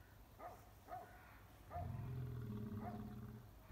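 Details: Male lion in spring, guarding his mate and giving a stern warning to another male that has come out. A deep, rumbling growl with stacked low tones lasts about two seconds, preceded by several short, sharp higher yelping calls.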